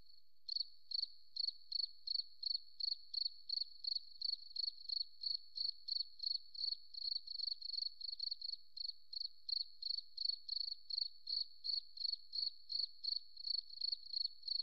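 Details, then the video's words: Steady chirping of a forest cricket: a long series of short, sharp, high notes repeated about three times per second after a brief silent opening, background otherwise quiet. "Beautiful Cricket Sound"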